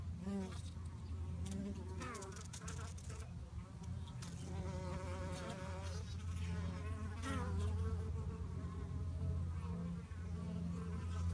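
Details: Honey bees fighting, a dense buzzing hum with wavering, sliding tones that rise and fall, a steady low drone underneath and brief clicks throughout.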